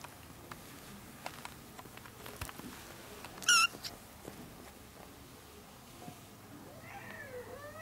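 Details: Month-old ginger kitten, one of four born to a young stray mother cat taken in indoors, gives a single short high-pitched meow with bright harmonics mid-clip, followed by a faint lower call near the end amid quiet rustling.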